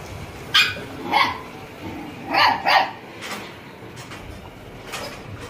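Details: Dogs fighting: short, sharp barks and yelps in quick bursts, a single bark, another, then a rapid double bark, with a few fainter yips after, over a steady background hiss.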